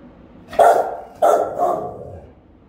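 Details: Rottweilers guarding a house, caught on a camera the dogs discovered; the mother barks with a round, ringing, powerful voice while a younger dog joins in. Two loud, deep barks about half a second apart, the second trailing off.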